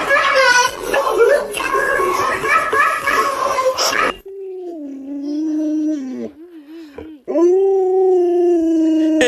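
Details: Indoors, people talk and laugh over a few seconds of noise, then Luoluo, a pet Alaskan Malamute, takes over with long tonal howls that dip, wobble and rise again in pitch.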